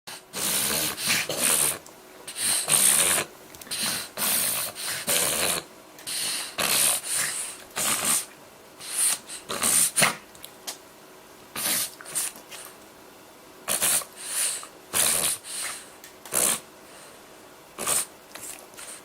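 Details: French Bulldog Haruta, eight months old, reverse sneezing on 18 January 2013 and appearing distressed: a series of harsh, rasping snorts in short bursts, repeating roughly every half-second to second with brief pauses between bouts.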